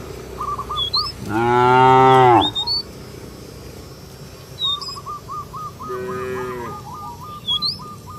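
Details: Calling companions to return to the barn, a cow in a village field gives one loud, deep moo, then a shorter, softer one. Birds chirp and repeat quick, regular little notes in the background.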